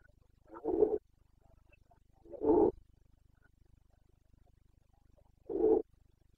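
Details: Rutting Carpathian stag in Bucovina, 29 September 2022, breeding season (boncănit): three rough, grunting roar bursts spaced roughly two to three seconds apart over a faint low steady hum.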